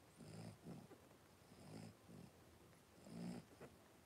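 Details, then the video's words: Five 3-week-old blenheim Cavalier King Charles Spaniel puppies in a home puppy pen, wrestling and playing; low, harmonic snorting grunts come in three pulsing bursts roughly every 1.5 seconds, with thin high whistly overtones on each breath. "3-Week-Old Cavalier Puppies Wrestle and Play Live"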